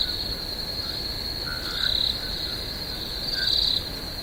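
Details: Swamp crickets at night keep up a thin, even high trill with two louder pulsing swells; frogs add short lower croaking notes midway through.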